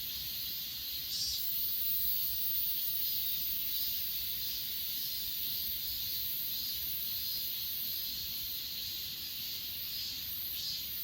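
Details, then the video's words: Grass insects on Achasan mountain, filmed with an S20 Ultra phone: a dense, steady high-pitched shimmering chorus of many callers with faint pulsing, a low rumble of background noise beneath. "아차산 풀벌레소리"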